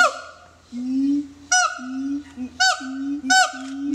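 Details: A siamang at the Metro Zoo gives low, droning hoots broken by loud, harsh, honking barks.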